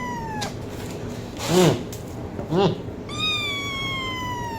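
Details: Cat meows: a short falling meow at the start, then two soft thumping noises, then a long, clear meow that slowly descends in pitch, over a constant low background hum.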